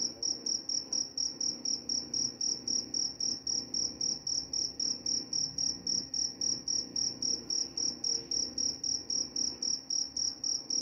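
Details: A cricket chirps without pause, high and piercing, in a regular rhythm close to four pulses per second over faint low rumble; shared as a sleep sound also said to repel mice.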